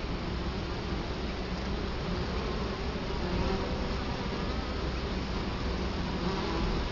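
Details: Continuous low humming from a crowd of Italian honey bees at their hive entrance, Colorado Springs, October 2011, camera set directly before the hive; the drone swells slightly midway and stays even otherwise.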